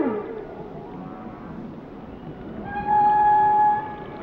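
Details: Singing whale gives a short falling squeal, then after a quiet pause a long steady pure tone rich in overtones lasting about a second.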